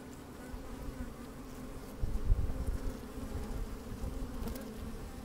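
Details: Sunny-day honey bees busy inside an open hive: constant deep humming, with a brief louder rumbling burst of buzzing and bumping around the middle.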